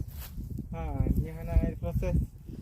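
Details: Cattle calling in a short series of voiced moos, a longer drawn-out one followed by two brief wavering ones, over low-pitched rumbling and handling noise.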